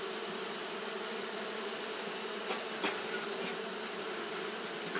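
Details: Steady buzzing of Japanese honey bees fanning on a hot day, low hum and high hiss running together, broken only by a couple of soft clicks.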